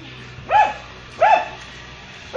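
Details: A domestic dog gives sharp, urgent alarm barks, roughly one every second, unusually loud and unlike its barking at people, raised at a snake, apparently a green snake it then bites and kills.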